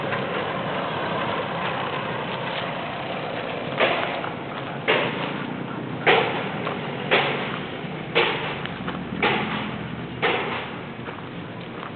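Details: An idling engine drones throughout, broken by regular dull thumps about once a second, with no animal calling.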